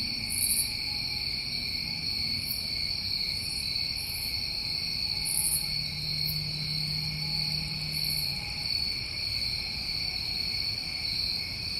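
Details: Crickets recorded on a summer night in New England hold a continuous shrill trilling in several high bands. A low steady hum rises briefly midway, and short faint hissy bursts sound above.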